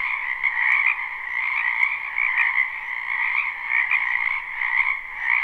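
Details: Croaking frogs in a spring wetland behind a home, live recording: thick, continuous trilling chorus, loudness rising and falling in irregular surges about every second or two.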